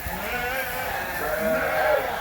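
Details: Sheep on a Canadian farm bleating as they are locked up before feeding; continuous overlapping wavering bleats with layered harmonics, swelling louder toward the end.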